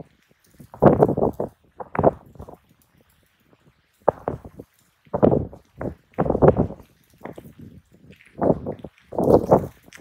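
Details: Two raccoon dogs in a serious fight, crouching and bracing against each other; harsh, rasping growl bursts come in short clusters separated by brief silences, about seven outbursts over ten seconds.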